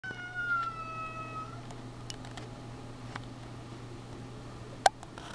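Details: Domestic cat play-fighting indoors with another cat, giving one long drawn-out meow with a steady then slowly falling pitch, followed by quiet room tone and a sharp click near the end.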